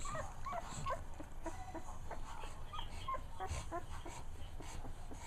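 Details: Two weeks old, the puppy Manny, resting lazily with its mother close by, makes brief squeaky whimpers, short tonal peeps in quick irregular clusters, over a woman's quiet talking and low room noise.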